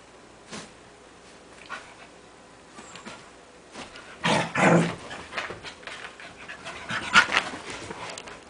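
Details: A silly, playful Scottish Terrier indoors, urged to get its tail: soft scattered snuffles, then a loud burst of rough barking yelps in the middle, followed by quicker panting puffs and one sharp yelp near the end.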